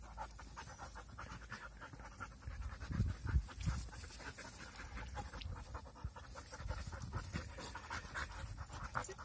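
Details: Playing puppies panting fast and steadily, about three breaths a second, with scuffles and a few louder bumps midway.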